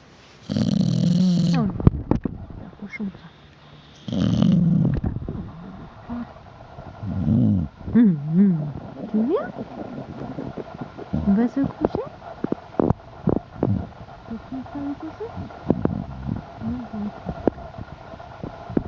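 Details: Sleeping Chow Chow recorded indoors in November 2012, snoring in deep, rough, drawn-out breaths repeating every few seconds, with a few faint squeaky whistling tones between them.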